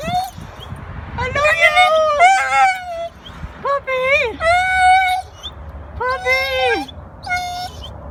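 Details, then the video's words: A dog excited to see its owner gives long, drawn-out whining yelps, rising and falling whines in bursts of about a second, separated by short pauses, with a faint outdoor background. "My dog excited to see me"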